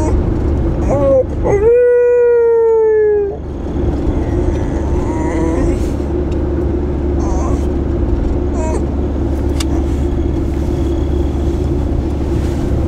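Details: Lancashire Heeler named Vertti singing in a car during a drive, 14 February 2010: one drawn-out, rich howl that rises briefly and then slides slowly downward for about two seconds, with a short whine just before it, over a steady engine rumble.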